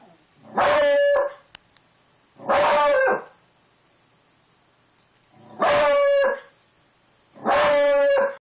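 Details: House dog at the door howling because it heard wind outside; four short, loud, harmonic howls, each under a second, come in an uneven rhythm about every two seconds, with near silence in between.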